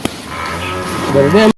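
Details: Male water buffalo giving a low, steady droning moo that lasts about a second, then bends into a short rising upturn before cutting off, over faint outdoor background noise.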